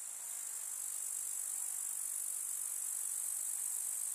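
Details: Grasshoppers in a summer meadow in the countryside among wildflowers: a dense, steady, high-pitched shimmering buzz that holds without pause, swelling slightly after the first half-second.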